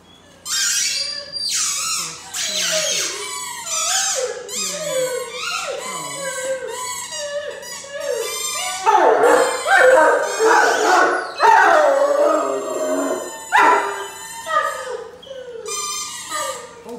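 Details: A 10-month-old male Great Dane howls at a specific toy that sets him off. He gives wavering, sliding notes that rise and fall in long, repeated bursts.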